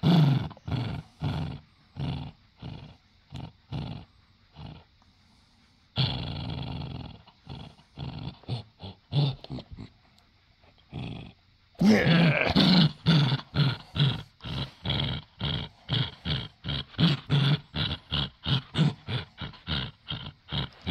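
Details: Male pet dachshund in a tug-of-war over one of his many toys, growling in short, gruff, low pulses repeated roughly every half second; a quieter stretch of soft rustling noise interrupts the middle before the growling resumes louder.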